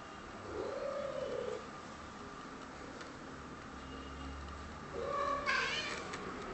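A Maine Coon cat gives two drawn-out, arching meows, the second rougher and more strained.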